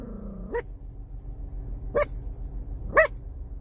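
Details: Chihuahua puppy giving three brief, high yipping barks spaced about one to one and a half seconds apart, with a faint falling tonal whine at the start and a steady background hum.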